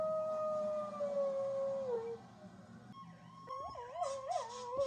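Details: Howling to passing fire truck sirens, a one-year-old chihuahua, pitbull, German shepherd, Jack Russell and rat terrier mix gives short wobbling howls at the end, after a long, slowly falling siren tone.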